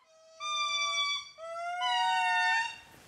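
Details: Indri; territorial call; group proclaiming its territory; neighbouring groups respond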